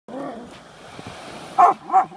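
A Rottweiler gives two loud, deep barks in quick succession after a stretch of low murmuring.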